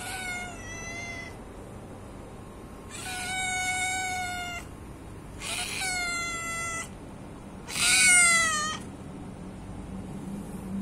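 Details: Four loud, drawn-out meows from a hungry pet cat, each lasting one to two seconds with rich harmonics, the last the loudest and most urgent, separated by short quiet gaps with faint background hum.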